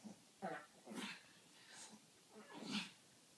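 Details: Pair of pet Pekingese at play, giving short breathy growls and huffs, about three rough bursts spaced roughly a second apart, the last one loudest.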